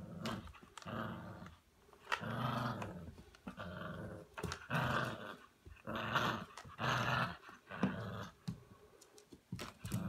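A Staffordshire Bull Terrier growls in deep, throaty bursts, each lasting a second or so with short pauses between. The rumbling rises and falls in a small room, with no other clear sounds.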